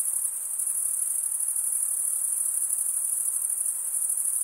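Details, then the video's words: Crickets, males stridulating by running one wing's toothed vein across the other, make a dense, steady, very high-pitched shrill trill that never pauses, over a soft hiss. "Most relaxing cricket sound"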